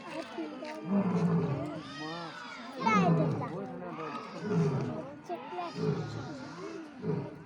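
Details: A lion at Nehru Zoological Park, described as angry, gives deep, rumbling roars and grunts in bursts, with people talking in the background.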